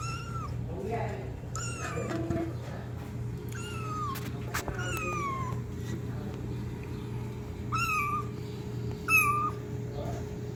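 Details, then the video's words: Kitten meowing loudly for its mother: a run of about eight short, high, bending meows, some rising then falling, coming every second or so, with a constant low electrical hum and occasional clicks beneath. "Kitten meowing sound loudly for Mom"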